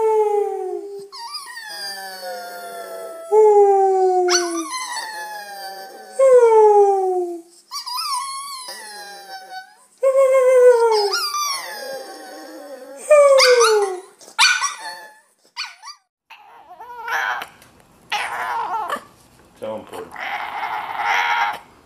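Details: Bulldog in a funny compilation giving a series of drawn-out whining howls, each tone sliding downward with rich harmonics, about eight calls in the first fifteen seconds, then shorter broken noises and a person speaking to the dog.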